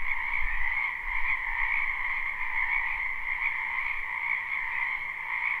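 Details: Many frogs croaking in a spring wetland, live recording: a thick, constant trilling chorus in high and middle registers, joined by brief low thumps early on that fade after the first couple of seconds.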